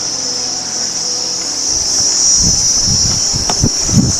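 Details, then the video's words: Crickets along a village road near a large river in the Sundarbans, heard continuously from start to end; a steady high-pitched insect drone runs throughout, with low rumbling and footstep-like thumps in the second half. "আওয়াজটা শুনুন ঝিঝি পোকার।"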